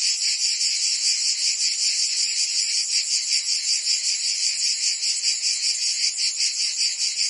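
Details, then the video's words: Summer chorus of cicadas in Provence, France, a continuous high rasping drone pulsing in regular waves roughly two and a half times a second, unbroken throughout. "Cicadas singing in France (Provence)"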